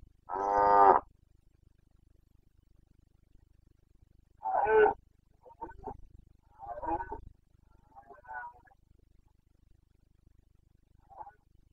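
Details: Carpathian red deer stag in the Bucovina mountains, Romania, during the breeding season rut, 29 September 2022; one loud, harmonic roar about a second long opens the clip, then four or five shorter, fainter grunting roars follow at irregular gaps.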